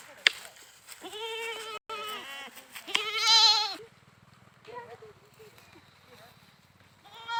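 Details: Goats bleating in quick succession, several nasal wavering cries leading to a loud sustained bleat, followed by a low steady mechanical hum with fainter bleats over it.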